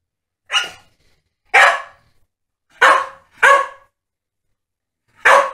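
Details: Two Staffordshire Bull Terriers, Holly and Ralph, at play; five loud, harsh barks come at uneven intervals over about five seconds, with quiet gaps between them.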